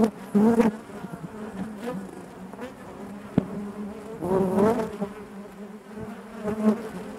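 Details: Honey bees buzzing inside their hive: a dense, continuous drone with a steady low hum and overlapping higher whines, swelling loudly near the start and again around four seconds, with brief clicks from moving bees.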